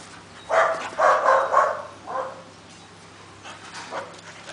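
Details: Two dogs meeting, one described as a grumpy little dog: a quick run of four rough, mid-pitched barks or yelps packed into under two seconds, then only faint scattered sounds over low background hum.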